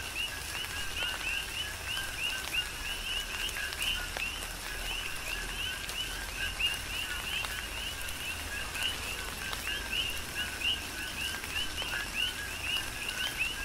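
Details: Rain-soaked night chorus of coqui frogs on the Big Island of Hawaii, repeated short chirping notes from numerous frogs overlapping without pause, while rain patters steadily and sharp drops click in the foreground.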